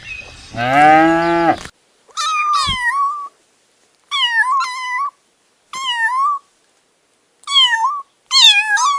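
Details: Domestic cats, a kitten with its mother and father cat, at home. One long, lower, drawn-out meow opens, followed by a string of short, high, wavering mews repeated every second or so with quiet gaps.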